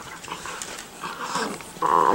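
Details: Five-week-old Miniature Schnauzer puppies, four in a playpen, give soft, high whimpers that end in a louder, steady whine.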